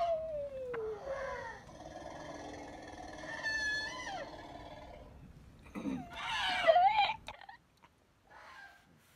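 An elephant roars in long, tonal cries that bend and fall in pitch, layered with rich overtones. A harsher, rising burst follows before the sound cuts off into a brief breathy blow.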